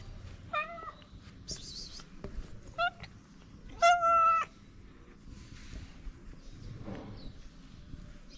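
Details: Hungry ginger stray cat on a street in Morocco, happy to see the person who feeds it, gives a few short meows spread over several seconds, with a woman's voice and faint street noise around.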